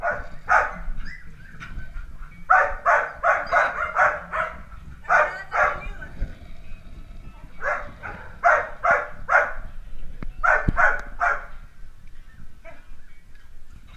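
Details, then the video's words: Dalmatian puppies at play, giving bursts of high, sharp yapping barks in quick clusters of three to five, with short pauses between bursts; faint background noise underneath. "Filhotes de Dálmatas brincando"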